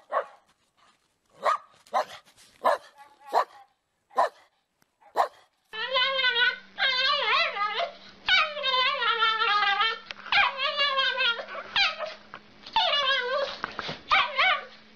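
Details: Playful, happy dogs: a few scattered short barks, then long wavering tonal howling and whining with rich overtones, backed by a constant low hum.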